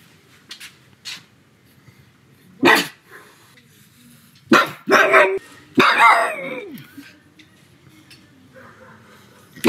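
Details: Sebastian the pug at home on a sunny afternoon, giving sharp single barks followed by a quick cluster of harsh, loud barks, with faint clicks and rustling between them.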